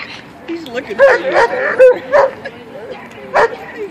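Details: Male German Shepherd, trained on 6 April 2013 to attack only on command, lets out a few loud barks between spoken commands, with a last bark near the end.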